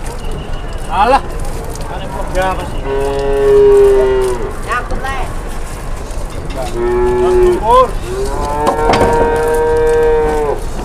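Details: Cattle being loaded onto a truck at a cattle market: several long, drawn-out harmonic moos, some steady and some rising then falling, spread across the recording, with background voices and low crowd noise.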